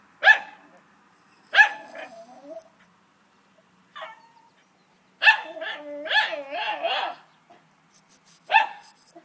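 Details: Dogs at play outdoors with people calling them: scattered sharp barks and a yelp, then a burst of rapid barking with wavering whiny yelps, one last bark; a woman speaks nearby.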